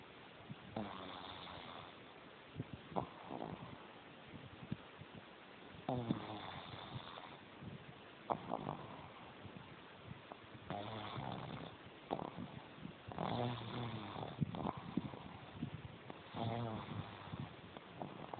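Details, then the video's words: Jemma the pug, asleep with eyes open and tongue hanging out, snores steadily: loud, gravelly, buzzing breaths repeat about every two to three seconds, each rattling snore rising and falling over a low background hum. "Jemma the Pug Snoring with her tongue Out"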